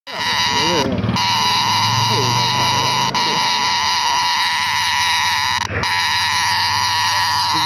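A cicada drones a continuous, high, rasping buzz with a rich metallic ring, holding the same pitch from start to finish. A few soft, low background sounds murmur underneath.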